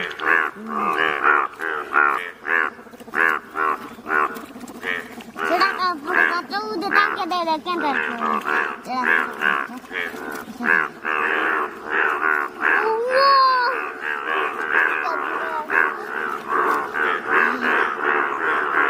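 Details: Chorus of yellow Indian bullfrogs from Malkangiri, Odisha, India: many overlapping nasal, moo-like croaks pulse continuously, with some calls sliding up or down in pitch, forming a dense, throbbing wall of sound.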